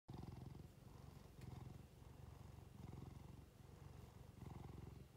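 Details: A domestic cat with watery eyes purring while being stroked, a close, low rumbling purr in rhythmic pulses, breaking briefly between breaths about every second.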